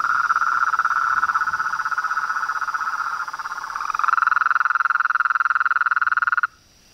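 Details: Frogs, toads and treefrogs calling at nightfall from a reservoir pond in front of a house veranda in Brazil: a dense chorus of rapid pulsed trills, mid-pitched and steady, a second caller joining partway, then ending abruptly into near silence.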